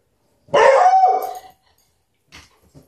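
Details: Beagles Mitzi and Lucky, SouthEast Beagle Rescue alumni, playing together on a couch indoors; a single loud, harmonic bark stretching into a short howl for about one second, followed by faint snuffles.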